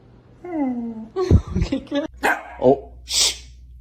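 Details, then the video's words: Pet female dog indoors, asked by her owner to whisper bark on command: a drawn-out falling whine, then a few short, soft, muffled barks, with the owner speaking and a hushing shh near the end. "Some dogs cant bark, but can whisper!"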